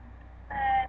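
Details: A hungry senior cat gives one short, steady meow, asking to be fed.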